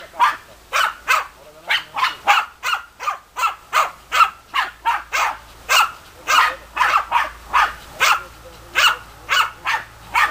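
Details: German Hunting Terriers barking, short sharp barks repeated about twice a second in a steady, insistent series across the whole stretch, with no other sounds of note.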